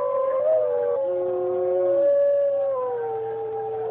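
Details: Sustained dog howling with two or more overlapping voices, one holding a steady mid tone while another wavers above it, slowly gliding downward near the end over a faint constant hum.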